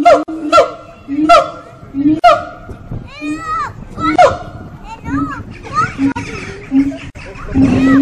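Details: Singing monkeys in a wildlife park on Fota Island, Cork Harbour: a series of loud rising whoops and hoots, followed by lower tones mixed with people's and children's voices.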